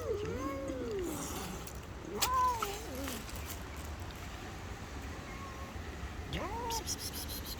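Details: Street cats fighting because they cannot share the same food: drawn-out wavering moans and rising-falling yowls, two long cries near the start and middle and another toward the end, over a steady low background hum.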